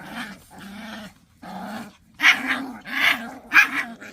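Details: Pungsan dogs fighting over rank: steady low growls, then three louder snarling bursts with harsh upper tones, each about half a second apart.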